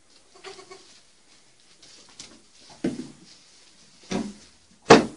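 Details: Baby goats playing on a see-saw indoors; soft, brief bleats early on, then three louder, harsh, short bleats at intervals of about a second, the last the loudest, with faint knocks between.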